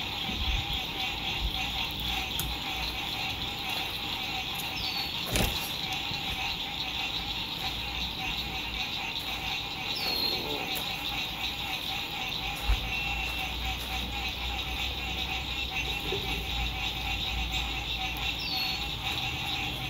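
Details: Frogs singing at sunset by a lake during spring 2021 lakeside RV camping in fine weather: a dense, steady pulsing chorus fills the evening. Occasional downslurred bird whistles and faint road rumble sit beneath it.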